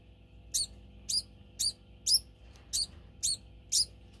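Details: Domestic degu clamoring before feeding time: seven shrill, high squeaks spaced roughly half a second apart, each short and bright, over a quiet background hum.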